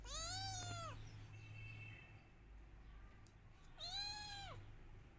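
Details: Kittens meowing for their missing mother: two arched, plaintive meows, one at the start and one near the end, separated by a faint high tone and a low steady hum.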